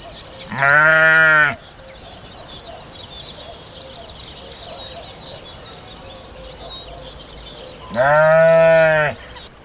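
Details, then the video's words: Two separate sheep bleats about seven seconds apart. Each is a short, nasal, even-pitched baa lasting about a second. Faint twittering of small birds runs through the gap between them. "SHEEP SOUNDS"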